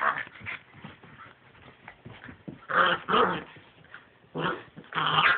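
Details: Play fight between 10-week-old pitbull puppy siblings, brother and sister: low rumbling growls and scuffling build into several loud, rough snarling bursts toward the end.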